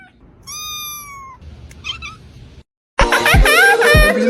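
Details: A cat gives one long, steady, high meow, then a brief softer call. After a short pause comes a loud burst of overlapping, wavering meows.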